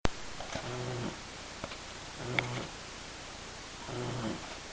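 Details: A sleeping 10-week-old female Shar Pei puppy snores loudly: three rough, low, buzzy snores about every one and a half seconds, each a short rasping breath with quiet pauses between.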